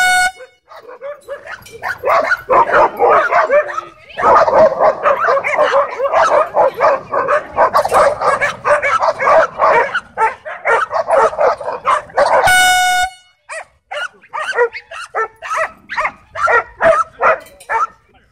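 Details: A dogfight among dogs at a dog park, triggered by tension with leashed dogs inside; frantic rapid barking and snarling runs nearly nonstop, broken by two long airhorn blasts, after which barks turn sparser and sharper.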